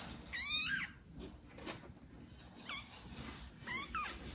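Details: Loudly meowing domestic kitten calling for its neglectful mother cat Judy: one strong, drawn-out meow opens, followed after a pause by three shorter, higher meows in quick succession, over faint indoor background noise.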